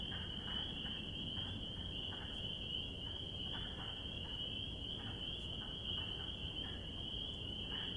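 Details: Spring peepers chorusing in spring give a constant high, piercing trill of massed peeps. Brief lower croaking pulses repeat irregularly in the background, over a low steady hum.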